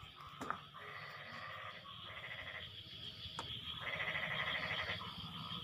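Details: Frogs calling back and forth after the rain eases, giving pulsed, bleat-like croaks in bursts of about one second. Two sharp clicks break in early, over a constant high background hum.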